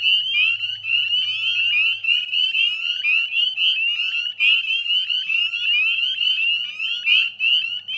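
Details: A dense chorus of male northern spring peepers, high piercing peeps overlapping continuously, from ditches and woodland beside the Chezzetcook salt marsh, West Chezzetcook, Nova Scotia, Canada, at dusk, 9:08 p.m. on 18 May 2020.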